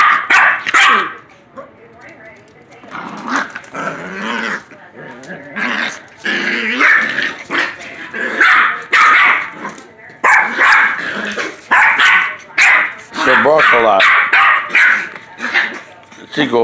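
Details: Silky terrier puppies, four months old, yapping and growling in play, a dense mix of short high barks and rough growly sounds with brief gaps; some human speech mixed in.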